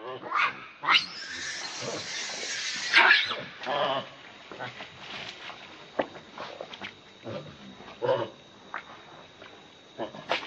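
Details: Baby monkey begging its mother for milk, giving harsh, noisy screams over the first three seconds, then scattered shorter cries with quieter gaps.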